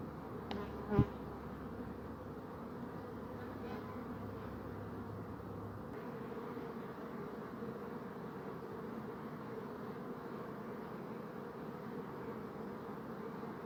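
Honey bees make a continuous, layered drone, the overlapping wingbeats blending into one low, throbbing buzz. A brief sharp click sounds near the start, and a faint low hum fades out partway through.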